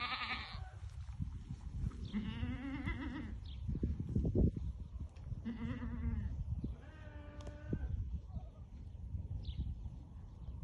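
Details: White Awarid goats, a herd of ten pregnant does with their buck at Al-Summan, bleating several times: three nasal, wavering bleats spaced a few seconds apart over low rumbling background noise.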